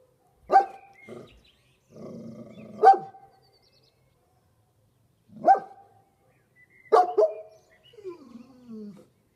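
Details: Kuvasz dog talking: sharp barks separated by gaps of about two seconds, with short grumbles and huffs in between, ending in a descending whine.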